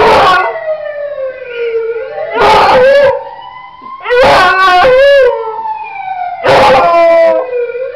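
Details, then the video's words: A beagle howls at a passing ambulance, answering its siren with long, wavering, mournful notes broken by sharp baying bursts. "Otto the beagle howling at ambulance"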